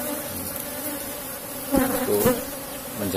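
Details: Asian honey bee colony buzzing steadily in a box hive while honey is harvested, a low even drone with a brief swell of louder wingbeats and a short spoken word midway.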